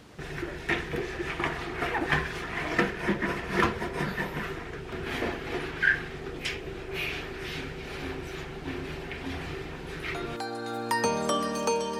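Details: Rubbing and rustling handling noises fill most of the recording before background music starts near the end.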